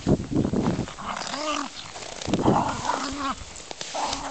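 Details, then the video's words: Two German Spitz Mittelspitz dogs, Adonis and Dazzling Flash Cosmos, romping together: short tonal growls and whiny moans rise and fall in bends, in bursts separated by brief pauses, with rustling and some muffled noise. "Mittelspitz playing"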